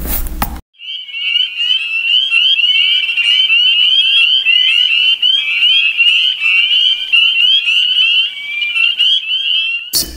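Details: A dense chorus of spring peepers, a tree frog of the eastern USA, many high, clear peeps overlapping into a steady shrill ringing; the males' early-spring mating call, heard around marshes, swamps and pools in Tennessee, sometimes from February.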